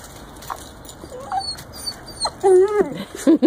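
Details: Ten-week-old German Shepherd puppy meeting a one-year-old dachshund mix for the first time: faint squeaks, then a loud wavering whine that falls in pitch, followed by short yips.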